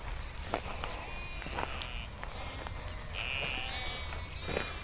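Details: Sheep bleat within a nomadic flock grazing outdoors in Kashmir while being herded, with clicks and rustling throughout.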